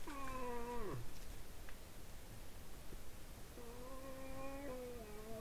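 A moose gives drawn-out, nasal moaning calls, the first ending in a sharp downward drop.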